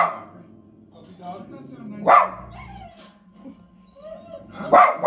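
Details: A pet dog barking at the TV: two sharp, loud barks, the first near two seconds in and the second near the end, over steady background voices and sound from the television.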